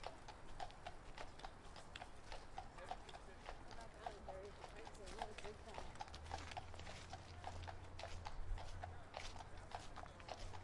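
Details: Horse walking in Central Park, regular clip-clop hoofbeats on pavement while people talk nearby, with a deep engine rumble swelling in the second half.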